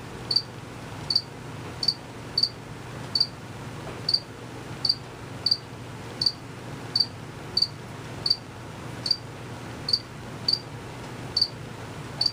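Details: Out-of-sight crickets chirp continuously; males produce it with rapid wing motion. Regular, sharp, high chirps repeat roughly every 0.7 seconds against a gentle low background hum.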